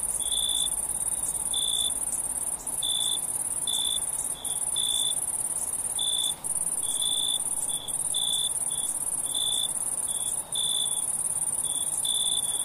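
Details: Crickets chirping at night for sleep relaxation: an unbroken shrill high trill plus lower, clipped chirps repeated close to once a second, some doubled, with occasional short dips in the background drone.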